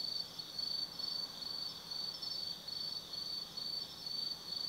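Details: Night chorus of autumn insects at Tsukimi no Mori in Nanno, Kaizu, Gifu Prefecture: high-pitched pulses repeated roughly twice per second over a continuous thin ringing tone, no other sounds clear.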